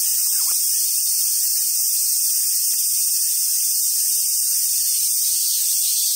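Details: Summer cicada chorus at Awaji Island Monkey Center in Sumoto, Hyogo, Japan, among wild Japanese macaques; a steady shrill buzzing wall of sound, with soft low thumps and rustles near the end.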